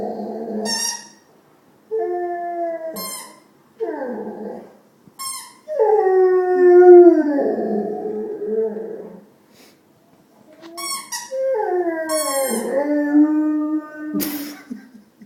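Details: A Rottweiler lying at his owner's feet makes odd, drawn-out vocal noises: wavering whines and howl-like moans that slide up and down.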